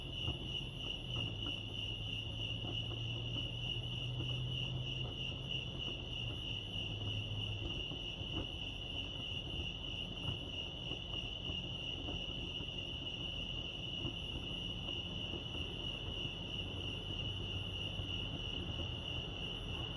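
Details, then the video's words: Chorus of crickets at Lake Arrowhead in California, an unbroken high-pitched pulsing trill, with a low droning hum rising for several seconds near the start and again toward the end. "Serenity sounds crickets chirping lake arrowhead"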